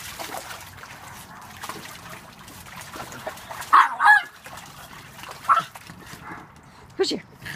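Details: Angry pug confronting a toy shark: a quick pair of harsh yaps, then single sharp barks at about five and a half and seven seconds, with soft handling noises throughout.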